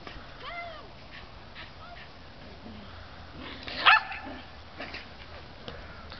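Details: Shetland Sheepdog Beza during frisbee training: brief high whines at the start, a quiet stretch, then one loud sharp bark, with light background noise and faint voices.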